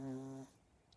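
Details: A pure-bred female Chihuahua snores once, a low, steady hum with a buzzy edge lasting under half a second, then fades out into a quiet room.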